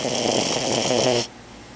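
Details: A four-month-old French Bulldog puppy weighing twelve pounds, asleep on a lap at work, snores in a steady rasping breath that stops abruptly after about a second, leaving quiet room tone.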